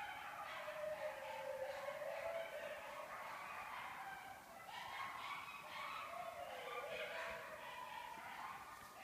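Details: Several coyotes chorusing during their annual mating ritual, close behind a house after dark, 03/06/2014; overlapping wavering howls and yips rise and fall together, forming a continuous eerie group song throughout.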